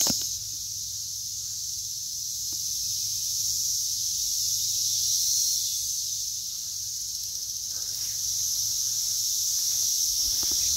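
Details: A dense chorus of periodical cicadas, recorded in a southern Indiana garden on 12 June 2021 about two weeks after emerging to mate, makes a steady, high, shimmering hiss that never lets up.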